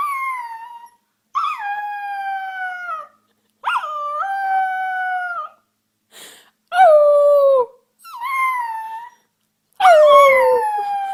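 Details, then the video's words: Young puppies practising howling, a series of one- to two-second tonal howls with a sharp rise at the start then a level or slowly falling tone, repeated roughly every three seconds with quiet pauses. "Cutest Puppies Learning to Howl"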